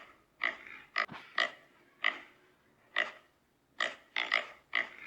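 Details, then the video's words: Pig giving loud, piercing squeals in quick separate bursts, roughly nine over five seconds, some paired close together, with quiet gaps between them. "Som de Porco - Grito de Porco"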